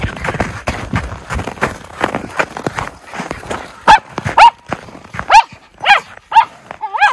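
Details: Two Miniature Schnauzer brothers, Lucky and Levi, play outdoors in deep snow tunnels in Aroostook County, Maine, in January 2023; rustling and crunching through snow lead into six loud, clipped barks spaced about half a second apart.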